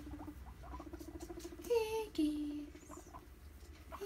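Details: Pet guinea pigs during floor time by a big pile of hay, happily bubbling and popping while exploring; soft low repeated pops and burbles run throughout, with two short smooth rising squeaks near the middle.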